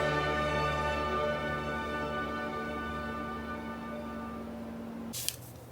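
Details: Sustained orchestral music with held string-like tones fills the recording, ending in a short hissing burst like a spray near the close.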